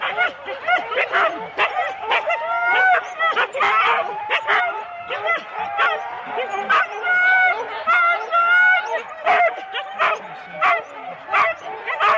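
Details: Husky sled teams of four dogs at the start of a race, Rendlesham, January 2016, taped on analogue cassette: a dense chorus of sharp barks and high, wavering yelps and whines that overlap almost without pause.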